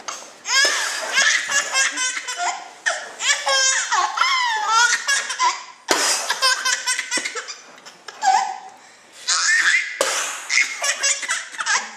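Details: A baby laughs in loud bursts of belly laughter and giggles indoors in a small room, with brief speech and no animal sound.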